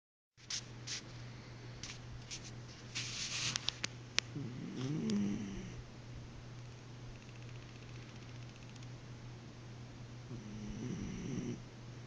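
A Basenji snores with slow, low rumbling breaths over a steady background hum.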